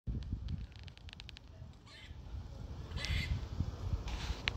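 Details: A dark squirrel in Montreal makes unusual sounds: a run of sharp clicks, then brief raspy chirping bursts over a low wind rumble.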